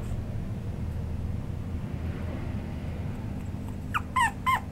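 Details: A male party-colour Chihuahua gives a few short, high whining yelps over a steady low rumble.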